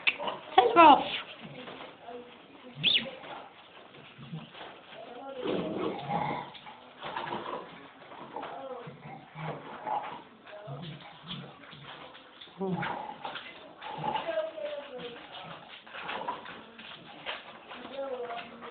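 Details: A male English Bull Terrier pup at home grumbles and whines in a wavering, talkative run of moans, telling his owner off.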